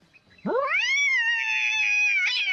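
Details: Cat giving one long drawn-out meow that rises sharply, then holds a steady, strained, wailing tone for about two seconds before a brief upturn at the end, with near silence around it.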